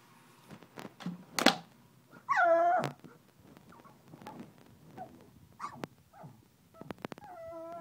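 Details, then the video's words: Angry pug trying to get to a bottle, giving one loud rising-then-falling whine midway, with scattered clicks, knocks and faint handling noises around it. "Angry Pug"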